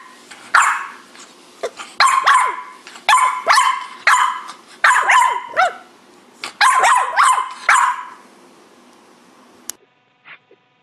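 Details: French Bulldog in a cranky mood, letting out a run of harsh, yappy barks in bursts about once a second, several with whining downward slides, then falling quiet near the end.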